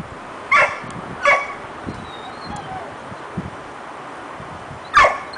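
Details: A female dog barks at another dog whose bone she wants but dares not take: two short barks close together, a pause with faint soft sounds, then one more sharp bark.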